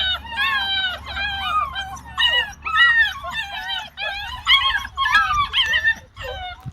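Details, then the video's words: Several dogs on a farm in a rural village, barking so loudly they seem like twenty dogs: a dense run of overlapping, high, yelping, harmonic barks and howl-like cries that rise and fall, with a low steady hum underneath. "sanki 20 köpek varmış gibi ses çıkarıyorlar"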